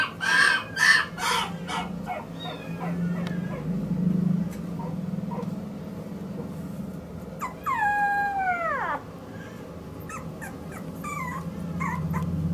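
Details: Male Maltese puppy born 29 February 2016, kept at a pet shop in Yokosuka, Kanagawa, Japan. It gives a few short high whines, then a long drawn-out whine that falls in pitch. Rustling and indoor background noise are audible throughout.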